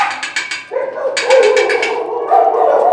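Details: Small female Pembroke Welsh Corgi-type dog, about three years old: drawn-out tonal barks and whining yelps in overlapping bursts, with clicking noises and loose rattling underneath.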